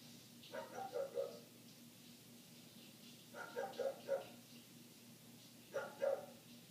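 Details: Dog next door barking continuously, heard indoors through closed windows while laundry is folded; three muffled clusters of rapid barks, two to four barks each, separated by quiet gaps, with a faint constant background hum.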